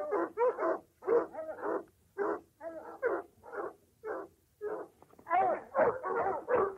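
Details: A hunting or chasing dog lets out irregular bursts of yelping barks, some doubled, with uneven gaps and a denser cluster near the end.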